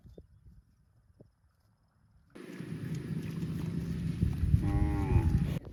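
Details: Cow mooing once near the end, a short low harmonic call of about one second, set against loud steady wind rumble that begins abruptly after a quiet opening.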